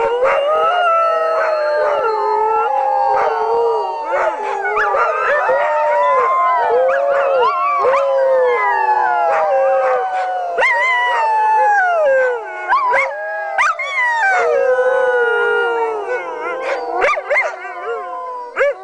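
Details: Pack of sled dogs howling in a sustained chorus: numerous overlapping wavering howls, swooping up and down, mixed with repeated short yips and barks throughout, loud and continuous for the whole stretch.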